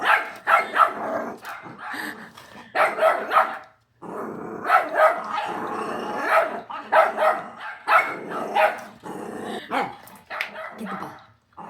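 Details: Indoor pet dog barking steadily, clusters of two or three loud rough barks separated by brief pauses, with throaty growling between bursts and no other sounds.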